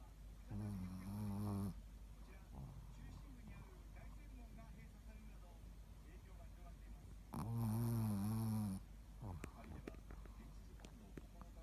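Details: Ruby, a sleeping Shih Tzu and mascot dog of a Sakado tennis school, recorded 13 February 2018. Two deep, rumbling, harmonic snores, each about a second long, come roughly six seconds apart, with quiet breathing between.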